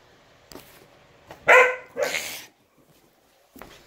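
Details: Nearly four-month-old Giant Schnauzer puppy indoors, playing keep-away, gives two sharp, loud barks in quick succession about half a second apart, with a few soft thumps and scuffles before and after in an otherwise quiet room.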